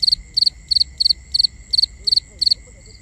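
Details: Crickets chirping at night in binaural sound: eight loud chirps, each a tight cluster of three pulses, repeated steadily about every third of a second over a soft high hum.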